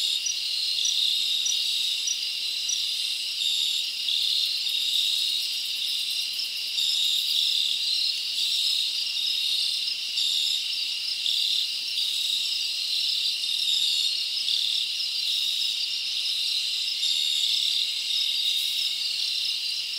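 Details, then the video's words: Crickets chirping through a summer night in the forest: an unbroken, high, shimmering chorus of many insects, short brighter chirps scattered over the steady wall of trilling. "Live Crickets Natural Sound"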